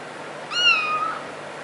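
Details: Single drawn-out cat meow, rising briefly then levelling and fading, lasting about half a second in a quiet room.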